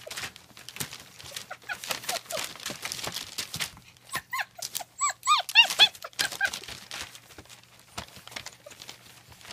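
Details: German Shepherd puppies at a family kennel on 40 acres in Mayo, Florida, whining and yelping in a rapid run of short high squeaky cries, with people talking and laughing between them.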